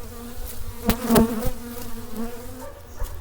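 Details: Honey bees of a Carniolan colony at the first spring hive check after winter, calm day with little flight. A low steady hum swells to a louder buzz midway, crossed by several sharp knocks, then fades.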